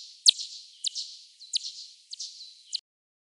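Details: Echolocation of bats over Oandu lake, late night of 8 June 2024, slowed tenfold to audible pitch: five quick descending sweeps with softer trailing tails, spaced about half a second apart, then silence.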